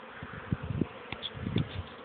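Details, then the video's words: Young honey bees circling on an orientation flight, 13 May 2013. A low buzzing hum swells and fades in quick passes, loud bursts roughly every half second, with a couple of faint higher clicks. "oblot młodej pszczoły"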